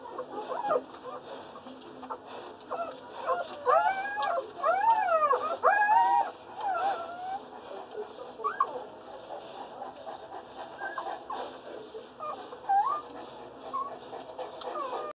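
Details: Less than a day old, Boerboel puppies from RM Roper x Jacob Silo at Jacob Boerboel Kennel give drawn-out, arching whines, loudest in a cluster around the middle, then scattered shorter squeaks.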